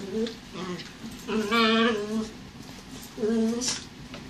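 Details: Two dogs playing indoors, Hollywood, a gentle border collie mix, and Bowie, a young terrier puppy. Short tonal whines rise and fall in three bursts, with a longer strained whine in the middle, in a small room.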